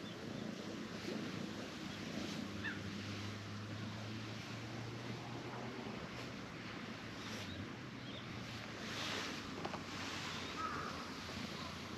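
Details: Steady broadband wind rumble with a low drone throughout and no animal voices.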